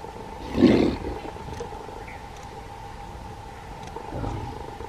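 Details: A Bengal tiger at Nahargarh Biological Park, one of two tigers there, gives one short deep roar, then quiet with a steady background hum.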